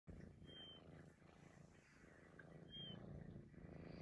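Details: Maine Coon cat purring steadily in a low rumbling rhythm, with two brief, thin, high whistles about two seconds apart rising above the purr.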